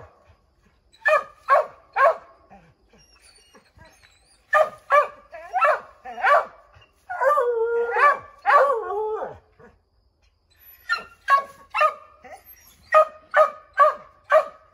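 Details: Pack of five Redbone Coonhounds baying at a chipmunk up an oak tree, trying to drive it out: bursts of rapid barking in groups of three to five, a sustained wavering howl mid-way, then more quick barks after a short pause.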